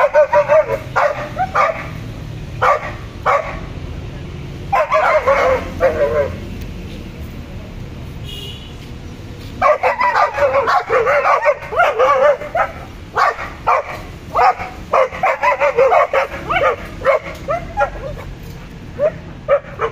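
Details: Pet German Shepherd and Boxer dogs barking loudly in irregular bursts, single sharp barks early, then rapid runs of repeated barks between pauses, roughly two per second, with a voice faintly audible in the background.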